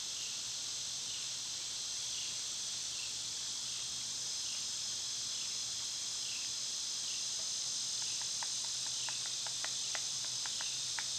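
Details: Cicadas sing in summer, a continuous high shrill drone, joined toward the end by a run of sharp, quick clicking taps.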